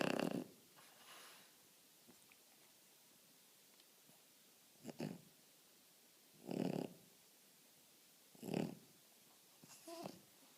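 A French Bulldog snores in rough, rattling breaths every couple of seconds.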